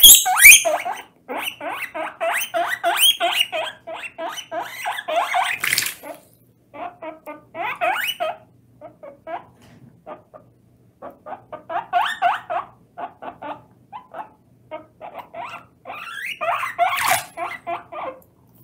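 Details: Loud wheeks from a guinea pig being bathed for the first time, seemingly unbothered by the water: bursts of rapid short squeaks separated by brief silences, with a sharp splash or clatter midway and another near the end.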